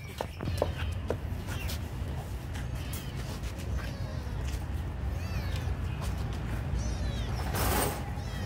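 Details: Kitten mewing while being fed: a few thin, faint meows at intervals, partly masked by constant low rumble, with soft clicks and a loud broadband rustle burst near the end.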